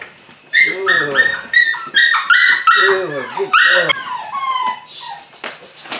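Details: Eight-week-old Belgian Malinois puppies from the Android Whiteline Czech x Mason's AnnieLou litter, beginning bite work: a quick run of high, tonal whines and yelps, each sliding up then down, packed closely together, with a softer trailing whimper at the end.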